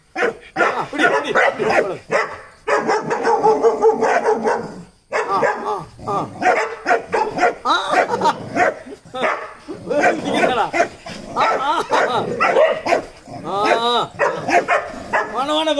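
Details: A small, fearless Dachshund on a loosened chain barks in sharp, repeated bursts at a German Shepherd and a local dog while visiting another house, people talking close by.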